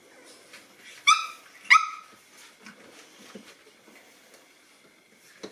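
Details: Boston Terrier puppies, nine weeks old, getting to know a new toy give two sharp, bright yips about half a second apart, then fall mostly quiet with light scuffling and clicks.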